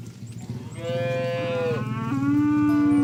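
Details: Oxen herded to a rice field, calling friends to return to the barn: two long, low moos, the first level then sliding down, the second steady and deeper, over a rumbling background.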